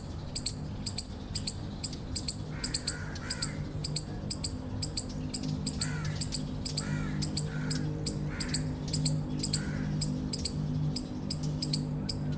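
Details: Eastern chipmunk chirps, about two sharp high chips a second, run on steadily while lower bird calls come in and out behind them.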